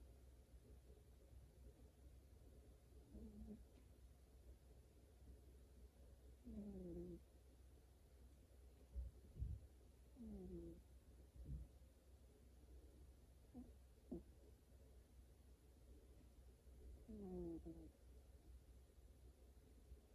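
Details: Domestic cat snoring while asleep, giving brief squeaky, downward-sliding tonal snores at irregular intervals of a few seconds, mixed with faint soft thumps, all over a steady low-pitched background hum.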